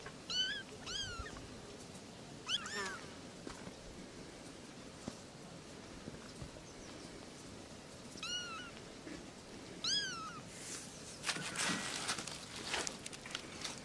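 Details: Kittens playing with their mothers, meowing for attention: several short high meows in bursts near the start, middle and end, over a rustling, noisy indoor background.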